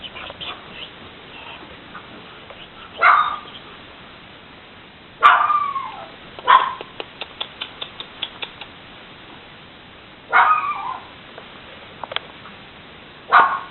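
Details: Six-week-old puppies indoors; short, sharp, high yelps come in scattered bursts a few seconds apart, with light clicking and a woman talking softly in French in between.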